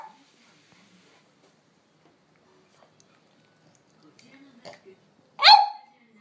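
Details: French Bulldog Amelie, usually calm, pleading with her slow owner to go for a walk right away; after mostly quiet moments with faint soft noises, a single short sharp bark bursts out near the end.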